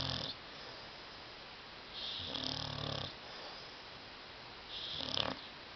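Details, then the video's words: Sleeping dog named Tyson on a love seat gives loud snores, two or three rasping, rumbling breaths a few seconds apart with soft hiss between them in a quiet room. "DOG SNORING"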